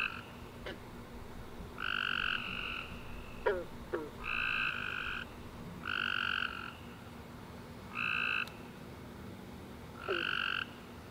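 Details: Night chorus of tree frogs after a rainy summer day, with buzzy trilled calls of about a second coming in regular bursts every two seconds or so, plus a few short faint clicks and chirps between them.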